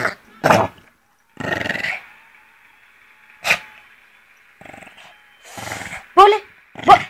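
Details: An angry male Pekingese, attacking his owner, growls and lets out sharp, rough barks in short bursts.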